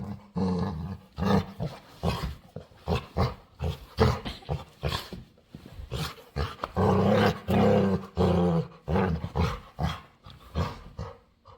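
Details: Needy female dog begging to play with a person, giving a string of rapid, uneven grumbling grunts and longer moaning groans, roughly one per second, with a louder drawn-out stretch midway.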